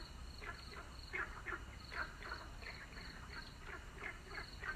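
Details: Frogs at sunset producing rapid, irregular croaks, roughly three per second, overlapping from several callers, with a repeating high insect pulse and low rumble underneath.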